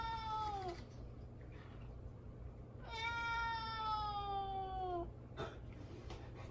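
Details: Mame Daifuku, a pet cat wanting its ignored owner to turn around, gives a short falling meow then a long two-second meow sliding downward, with a low room hum beneath.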